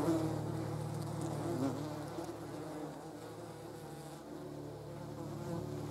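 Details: Several German wasps (yellow jackets) at a jar of jam, their wings giving a continuous low droning buzz with stacked harmonics that rises briefly and then settles to a softer hum.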